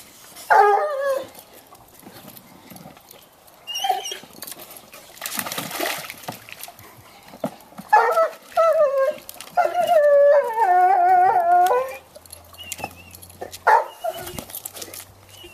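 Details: Two Bloodhounds playing with their toy and splashing in a swimming pool; one gives several wavering, harmonic whining yelps, the longest about two seconds, between bursts of splashing water.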